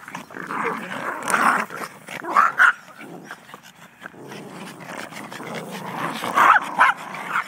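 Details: Several Yorkshire Terriers in a family pack of six (parents, three daughters, a son), recorded with an old camera, January 2011; continuous throaty play-growling with a few high yips near the middle and end.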